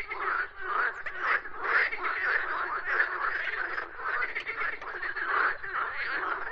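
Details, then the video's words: A chorus of croaking frogs: rough, rasping croaks repeated roughly twice a second in uneven bursts, many callers overlapping into a steady pulsing din. "Frogs Croaking Sounds"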